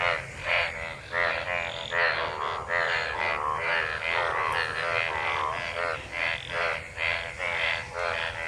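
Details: Many frogs gathered in rainwater after monsoon rain, calling while mating: a dense chorus of harmonic, pulsed croaks overlapping about once a second, mid-pitched and nasal, with no other clear sounds.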